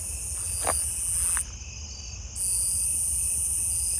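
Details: Nebraska conehead calling live nearby from a tree area where bush crickets are also heard; a steady, continuous high buzz with a brief drop-out midway, plus a couple of faint clicks.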